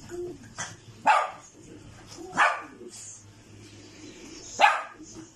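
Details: Poodle puppies yap three times, short bright barks about one to two seconds apart, over faint murmuring and small squeaky noises.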